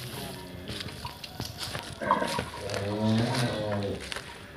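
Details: Cattle at a smallholder farm in Grabag, Magelang, during a weight check. A low, drawn-out, harmonic moo lasts over a second near the end, with clattering, people talking and background noise throughout.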